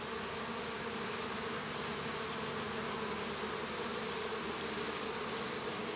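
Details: Honey bee colony humming in its hive as a new bee hatches; a steady, low droning buzz of many bees that holds the same level from start to finish.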